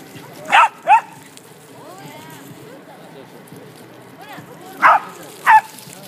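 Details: At a corgi meetup at Showa no Mori on 29 December 2013, a corgi gives sharp, loud barks in pairs, with soft voices and chatter in the background.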